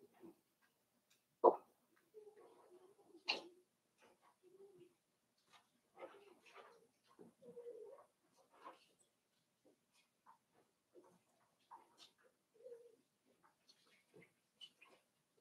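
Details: Five-week-old Cavalier King Charles Spaniel puppies in Daisy's puppy pen, indoors, giving soft, low, short whines in scattered bursts, with a loud sharp knock and faint rustling and clicking between calls.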